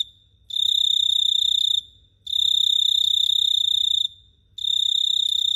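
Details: Nighttime cricket chirping in Phteah Prey: three loud high-pitched pulsing trills, each over a second long, with half-second pauses between, against a faint low rumble.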